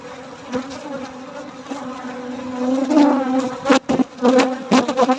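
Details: During a night honey harvest, bees keep up a low, wavering buzz that grows louder toward the end, mixed with several quick thumps and clicks in the last two seconds.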